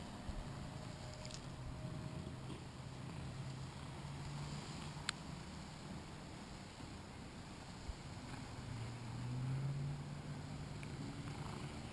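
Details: Faint low rumble and hiss with a thin steady high tone and a few isolated clicks, without any animal voice.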